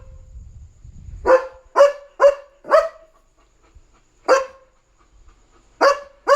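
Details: German Shepherd Leo barks at night because another dog is outside; four rapid barks, a lone bark after a pause, then two more, over a low rumble at the start.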